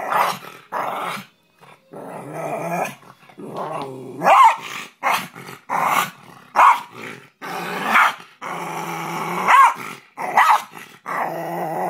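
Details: A Rat Terrier growls in repeated rough bursts, each rising into snarling, barking peaks, with short silent gaps between the outbursts across the recording.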